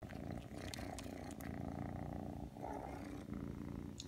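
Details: Aki, a three-month-old Ragdoll kitten that came when called, purrs in a steady low rumble while kneading indoors, with a few soft clicks and rustles over the continuous hum.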